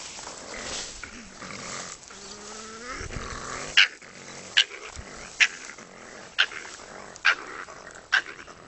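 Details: Raccoon dogs quarrelling; low rising whine, then a series of sharp snapping clicks or yaps repeated roughly every second over a rough background growl.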